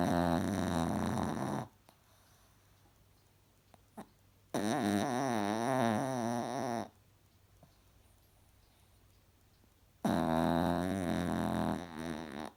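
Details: A sleeping cross-eyed Chihuahua snores in a small room, giving long, rasping, wavering snores of about two seconds, separated by several seconds of near silence with faint small sounds.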